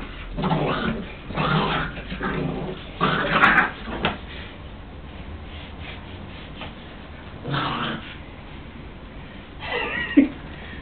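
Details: Ten-week-old American Staffordshire Terrier puppy angry while playing, with several raspy growling bursts separated by quieter pauses, ending in a higher whining note, indoors.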